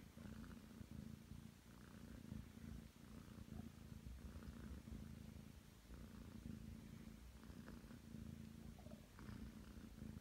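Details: Deep, even purring from a nine-month-old Ragdoll cat kneading on a bed beside its owner; the rumble swells and dips slightly with breathing, with a few faint soft scratching sounds.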